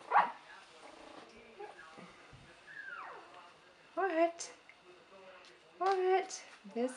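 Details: Buttercup's puppies at three weeks old, 2015; soft whines give way to a falling squeal, then two loud bursts of stacked, harmonic yelping cries, while a woman talks to the pups.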